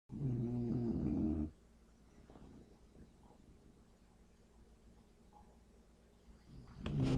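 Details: A male English Bulldog in deep sleep, hard to wake, gives a loud, low, rattling snore, then goes quiet before the next breath starts.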